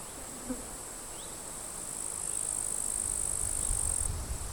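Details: Grasshoppers fighting in completely withered grass beside a forest, sunny summer day, end of July; a high, dry buzz begins midway and runs about two seconds before stopping, with a faint bird chirp and gusting wind.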